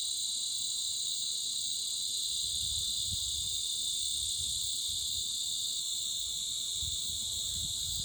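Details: Deafening insect chorus that drowned out other sounds, a constant dense high-pitched buzzing in stacked bands with no pauses, plus a soft low rumbling underneath.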